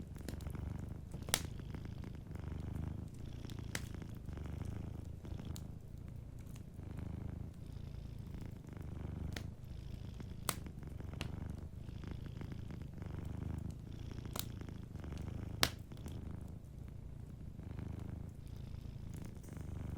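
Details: Soft continuous purring of a cat asleep beside a crackling fire, a low vibrating drone rising and falling in slow regular cycles, punctuated by scattered sharp pops of burning logs.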